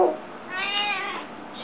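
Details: Gio, a female pet cat that meows more often than other cats, gives one drawn-out, harmonic meow that rises, then slowly falls away. A person's voice is heard briefly just before and after it indoors.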